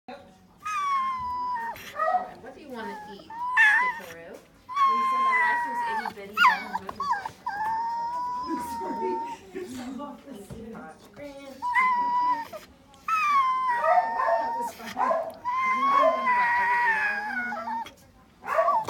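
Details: A female Corgi, recorded December 26, 2018 after her leg surgery, "sings": she howls in long, wavering, tuneful notes that rise and fall, with a person's voice in between.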